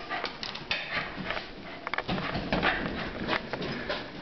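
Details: Pembroke Welsh Corgi reacting to birthday balloons popping: a run of short, sharp barks and yips scattered irregularly over four seconds, with a thin whine in between and some clattering noise.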